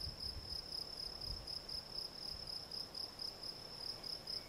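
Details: Gryllus campestris field cricket singing a continuous series of brief, piercing high chirps, evenly spaced at roughly three per second, over a soft low background murmur.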